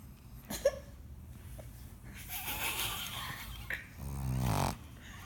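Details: A pet pug, female, snoring while asleep indoors; breathy rasping snore with a loud wheezing inhale building near the end, soft noises in a small room.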